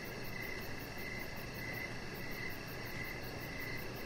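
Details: Evening crickets heard from a deck, giving regular bursts of shrill chirps in a continuous rhythm over a steady low rumble, with a faint rapid pulsing trill higher up.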